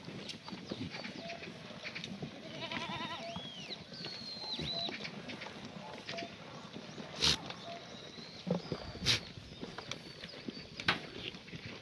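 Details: Free-range black goats in a farm yard below Musan mountain, Gimhae, South Korea, on a clear Monday morning; a quavering, buzzy bleat rises and falls, among scattered birdsong whistles, clatter and knocks.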